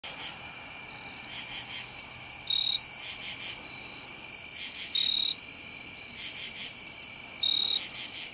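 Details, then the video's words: A jumping bush cricket sings low in a lilac in Ithaca, New York, on September 11, 2018, giving loud, brief, rattling trills about every two and a half seconds. "Jumping Bush Cricket singing"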